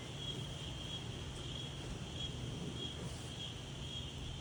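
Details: A daytime insect chorus in gentle wind: a constant, thin high whine that swells slightly at moments, set against a steady low rumble of breeze.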